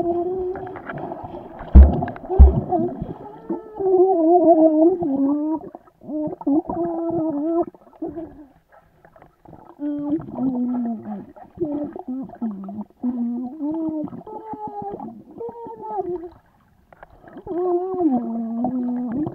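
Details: Vizsla dog swimming, giving drawn-out whine-like moans that waver up and down in pitch. They come in bursts of a few seconds with short breaks, over splashing and water noise, and a brief knock near the start.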